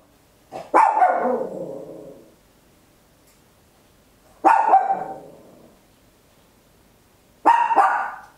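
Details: Small Papillon dog indoors at home, captured in stereo with an Olympus LS-11, giving three loud, harsh barks roughly three seconds apart, each with a bright attack and a trailing, fading tail; otherwise a quiet room.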